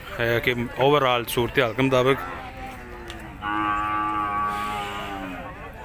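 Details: Cattle at the Shahpur Kanjran cow mandi in Lahore: after loud, choppy voiced sounds, a steady, level low moo is held for about two seconds, then fades, with faint market noise behind.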